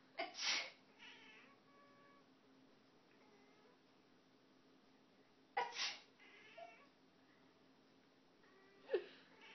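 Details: Aster, a house cat on her cat tower, reacts to people sneezing. Two loud sneezes are each followed by faint, short meows, with a soft squeak near the end against a quiet indoor background.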